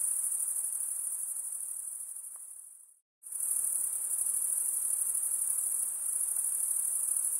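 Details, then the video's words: Night insects calling in a steady, very high-pitched shimmering trill that fills the air, broken by a brief complete silence around the third second before the dense chorus resumes at full strength. "night insect sounds"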